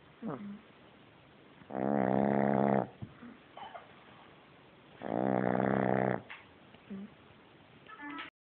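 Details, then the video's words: Sleeping French Bulldog puppy snoring very loudly, two long rough rattling snores about three seconds apart, with soft snuffles and small squeaky breaths in between. "bébé bouledogue français qui ronfle"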